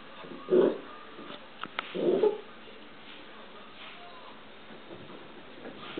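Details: Dachshund puppy playing with a cat indoors: two short, mid-pitched barks about one and a half seconds apart, followed by quieter rustling and faint clicks.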